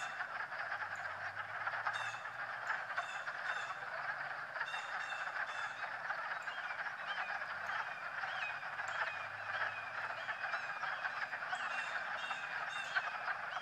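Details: Chorus of frogs croaking while swimming on a March day, a continuous dense rattling drone with occasional sharper chirps and faint low rumbles underneath.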